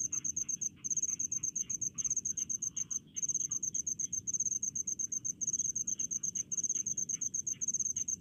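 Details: High-pitched pulsed chirping of crickets in rice fields, delivered in short rhythmic bursts separated by tiny gaps, with faint lower buzzing and a gentle background rumble.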